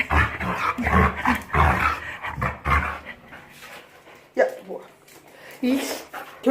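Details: A Jindo dog, recovered from illness and resisting a bath after a walk and a roll in riverside sand, makes rough pig-like grunts in quick succession, a sound it makes only when happy; a person talks afterward.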